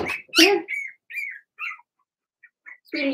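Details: Remy's litter of Blenheim Cavalier King Charles Spaniel puppies yelp and squeal in the puppy pen: one loud, strained cry, then several thin, wavering whines, quiet gaps, and a final raspy yelp.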